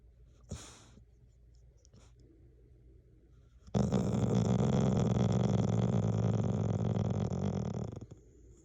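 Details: A dog snoring indoors at the 太郎くん家 rescue home for dogs and cats: after a soft sharp click, one long, loud, rough rasping breath with a low buzzing rattle holds steady for about four seconds, then stops abruptly.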